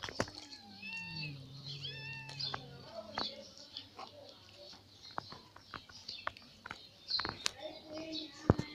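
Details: Ginger cat that has just caught another catfish from a garden fish pond lets out a long, low, wavering growl-like yowl, then goes quiet amid scattered sharp clicks and high bird chirps.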